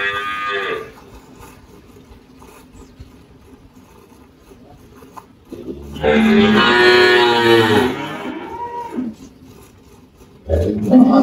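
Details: On a farm in Anápolis, Goiás, Brazil, the 18-year-old spotted Girolando cow Malhada, which gives around 10 litres of milk, moos: a short call tail, long quiet stretch, then a loud two-second harsh moo and another starting at the end.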